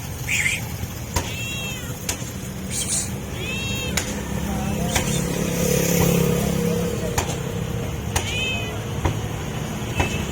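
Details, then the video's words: Stray cat meowing for food out of hunger: three short, arching meows spaced several seconds apart, amid loud road traffic, sharp clicks and a passing vehicle swell. "Stray Cat Meowing For Food"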